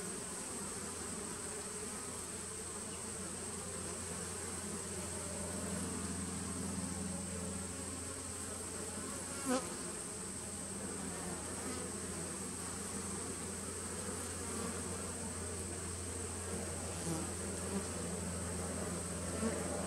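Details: A 2017 nuc of honey bees on 19 September 2018 drones steadily with a low, rich hum. One sharp click comes near the middle and a few softer taps follow, over a constant high whine.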